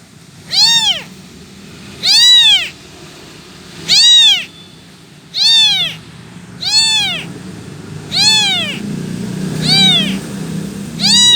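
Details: An abandoned kitten calls for its missing mother, giving eight piercing, bow-shaped meows at fairly even intervals, with a soft low murmur of background noise growing toward the end.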